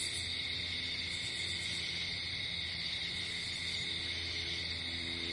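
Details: Crickets in nature at night produce an unbroken high trilling drone, with a faint low humming tone beneath the insect chorus.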